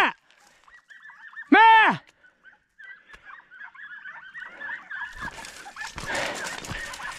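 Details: Podenco hound from the Perjuicillos pack: one loud, arched, harmonic yelp near the start, then a long run of faint, high, repeated yelping calls from farther off, ending in rustling and brushy noise.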